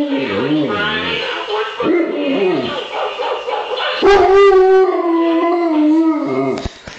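An Alaskan Malamute howls in wavering, rising and falling tones, then holds a long steady note.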